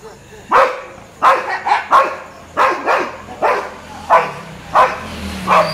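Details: Street dogs bark at a Labrador in a rapid run of about ten harsh barks over six seconds, some coming in quick pairs, with a low humming drone creeping in near the end.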